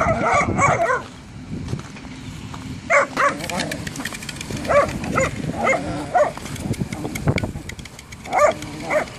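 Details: Whippets named Jack and Ray playing football, giving short, harmonic barks in repeated bursts around three, five and eight seconds, with a longer yelping stretch at the start and low rumbling background sounds throughout.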